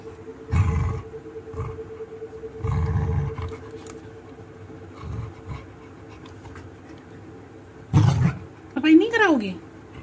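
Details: Labrador Retriever named Simba refusing to eat, giving low grumbling growls and a rising then falling whine near the end, with a woman talking to him indoors.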